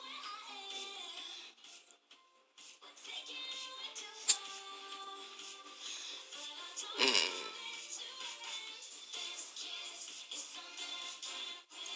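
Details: Upbeat recorded music with synthetic-sounding sung melody plays throughout, with a short whoosh effect midway and no audible animal calls.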